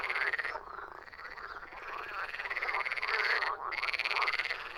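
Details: Many frogs croaking at once, a rapid pulsing chorus of rasping calls that runs almost without pause, briefly thinning twice before resuming at full strength.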